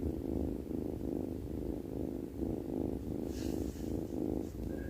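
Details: A cat asleep and snoring, producing a dense low rumble in quick repeated pulses, with a short airy hiss and a faint high tone near the end.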